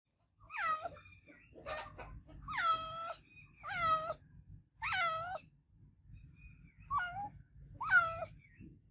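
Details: An adopted domestic cat gives loud, repeated meows, each a drawn-out wail that bends down in pitch.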